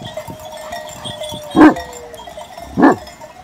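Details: Purebred Sivas Kangal, a Hanlı-line Turkish shepherd dog raised on a farm, guarding the flock: two loud, short, gruff barks about a second apart over a steady tinkling of sheep bells and a faint drawn-out bleat.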